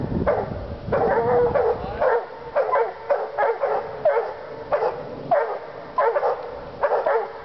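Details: Two Walker hounds treeing, giving rapid, uneven barking bays of about one and a half per second. Short sharp yelps alternate with drawn, ringing notes, and two voices overlap in a steady clamour. No other sounds stand out.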